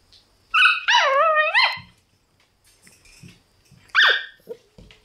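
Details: Black Shiba Inu puppies, brothers born on 30 January, give high, thin whining yelps that rise and fall over a second, then after a pause a sharp downward squeal, with faint rustling between calls.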